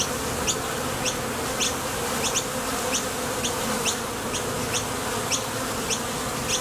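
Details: Honey bees at the entrance of a Top Bar Hive, leaving and landing as they forage for nectar: a steady, low, droning hum from beating wings. A short, high chirp repeats over it roughly every half second.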